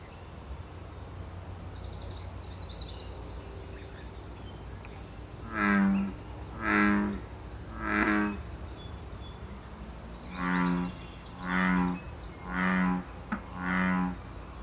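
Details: Wild American bullfrog in Canada during its mating season, giving two series of deep, droning harmonic croaks, three then four, each about a second long, over a low steady background hum and faint high bird chirps.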